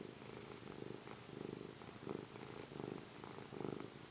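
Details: Snoozing kitten's snore: short buzzy breaths come about once every seven tenths of a second, five or six in a row, soft and raspy with a light airy edge.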